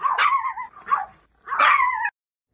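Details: Pet dog, from a home with a Pomeranian and a Bichon, barking angrily at a talking dancing cactus doll: three sharp, harmonic barks, the first and last drawn out into falling whiny tails, with a short quiet gap before the last.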